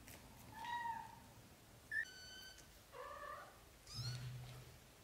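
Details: British shorthair kitten litter in its first 30 days: four separate mews about a second apart, the first drawn out and falling, a brief squeak, then two higher bright cries, against faint low hum.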